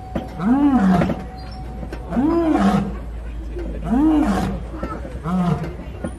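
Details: Lions at the Kilimanjaro Safaris in Animal Kingdom, Disney World, roaring from a moving safari truck: four deep, arching roar grunts about every one and a half to two seconds, with a steady low rumble behind them.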